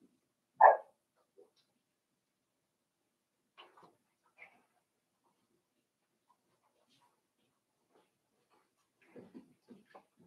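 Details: Cavalier King Charles Spaniel puppies, five weeks old, in an indoor puppy pen: one sharp, loud yelp near the start, then a few faint squeaks and small yips later in an otherwise quiet room.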